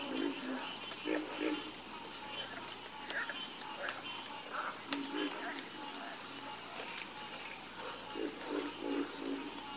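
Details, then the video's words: Calming chorus of frogs: rhythmic low croaks roughly three per second in loose bursts, with scattered higher chirps and a steady shrill background drone. "Calming Sound Of Harmonious Frog Croaking"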